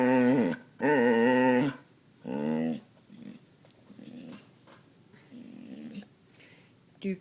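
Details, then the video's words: Pet dog 'talking' to its owner indoors: three loud, moaning, howl-like utterances with wavering pitch, the middle one longest, followed by softer grumbles mixed with the owner's murmured speech. "talking dog"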